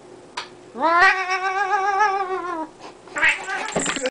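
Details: Domestic cat yodeling: a rising onset into a sustained, wavering yowl of nearly two seconds, followed by a shorter harsh yowl and faint human speech.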